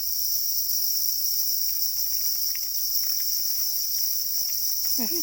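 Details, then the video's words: Black crickets, described as calling angrily while guarding their eggs: a continuous, even, high shrill trill in two bright bands that runs unbroken, with a faint short voice near the end. "Black crickets or para crickets are crying angrily for their eggs"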